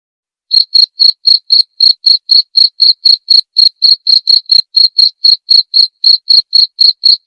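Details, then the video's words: Clean cricket chirps for teaching murai batu (white-rumped shama) songbirds, to be played each night. After half a second of silence, bright shrill pulses follow evenly at roughly four per second against a silent background. "masteran suara jangkrik jernih!"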